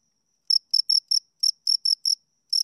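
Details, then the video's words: Two crickets chirping: after a half-second of silence, short, sharp, high-pitched chirps arrive in uneven bursts, about nine in two seconds, each a brief scraping pulse. No other sounds. "Two Crickets Chirp Sounds"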